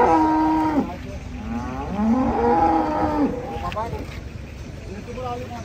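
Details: Giant cow rampaging while coming down from a truck: two drawn-out harmonic moos, the first level and short, the second longer, rising then wavering before falling, over steady engine-like rumble and distant voices.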